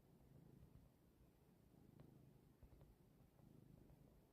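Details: Behemoth, a black cat, relaxing and yawning on a grassy hill, gives a faint, low rumbling purr that comes in soft pulses over a quiet outdoor background with a few brief clicks.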